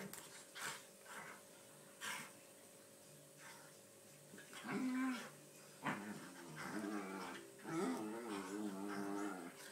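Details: Airedale Terrier, 14 months old, play fighting with an 11-month-old lurcher in a game of bitey face; low growls and whining, rising and wavering moans, with short barks and scuffling between them.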